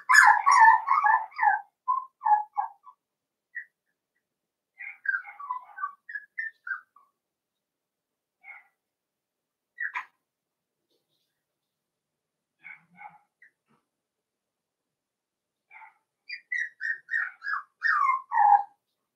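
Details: Cavalier King Charles Spaniel puppies playing in a home puppy pen, giving bursts of high whistled whimpers and yips in quick runs, with long quiet gaps between bouts.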